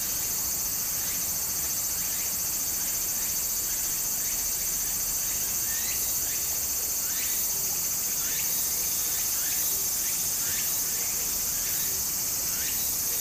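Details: Summer in Japan beside a stream: a steady piercing cicada drone runs unbroken, overlaid by quick rising buzzy strokes several times a second, with water flowing underneath.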